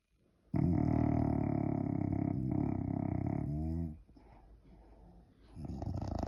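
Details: English Bulldog snoring loudly indoors: a long, harsh, rumbling snore lasting over three seconds, ending in a wavering gurgle, followed by quieter breathing and another rising snore.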